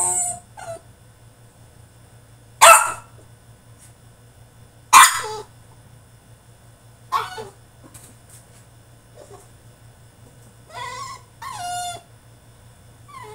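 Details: French Bulldog in his cage, mid-tantrum, gives a few sharp isolated barks spaced a couple of seconds apart, with quieter whimpering yips toward the end and long silent stretches between.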